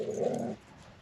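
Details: Dog growling at coyotes near camp on the New Mexico Backcountry Discovery Route; one short, low, rough rumble lasting about half a second, then near silence.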